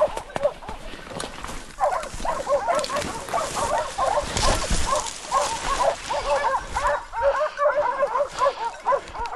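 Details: Hunting dogs pursuing wild boar during a drive hunt in Sicily, giving many overlapping yelping barks in a continuous rapid chorus, with faint voices underneath.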